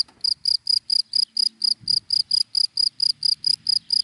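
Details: Cricket chirping in dry grass in the daytime: high, clear pulses repeated steadily about four times a second, each short and ringing, with only faint low rumble underneath.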